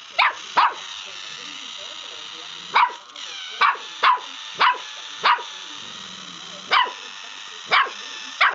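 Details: Young dog yapping at a foot pedicure roller: high sharp barks in bursts with uneven gaps, against a constant whirring motor hum and faint human voice.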